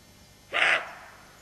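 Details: Single brief, harsh bark from a roe deer doe on alert with her fawn, sharp onset and quick fade against a quiet background.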